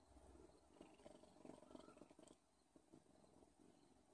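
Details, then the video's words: Odin the cat gives a quiet, fluttering purr, stronger in the first half and softer after a short dip, with light scratchy handling sounds. "Odin purrs"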